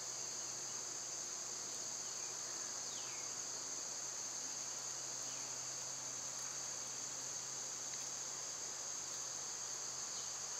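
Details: Cicadas in summer, their loud season, producing an even, high-pitched sizzling drone that never pauses. A low steady hum and a few faint sliding bird notes appear beneath it.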